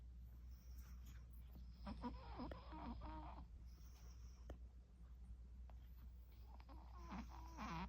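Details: Sleeping Shih Tzu puppy snoring indoors: low, rough breathing snores repeating irregularly throughout, with brief tonal, whine-like sounds around two to three seconds and again near seven seconds.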